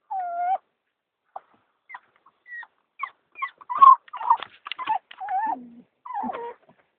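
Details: Happy female street-rescue dog from Turkey whimpering on reaching home after a car ride: a held whine, then short scattered squeaks and chirps building into a cluster of quick yips and falling whimpers.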